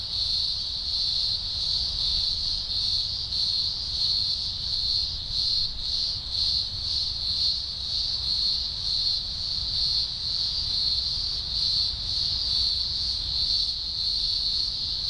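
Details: Deafening chorus of thousands of green grocer cicadas at a Blue Mountains emergence, Australia, early October 2020; high buzzing drone pulsing regularly about once per second, with some low background rumble.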